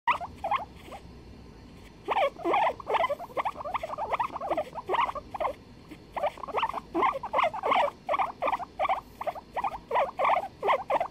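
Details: Two guinea pigs duetting, recorded 23 February 2021: rapid bursts of short, squeaky chirping notes, many per second and irregular, pausing briefly near two seconds and again around six seconds before resuming, over a faint steady background hiss.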